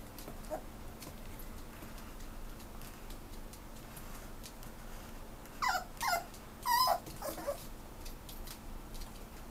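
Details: Italian Greyhound at a pet shop in Japan that rehomes dogs. After a quiet stretch of low indoor hum, a short run of high, wavering whimpers and yips comes in quick succession, then fades back to background noise.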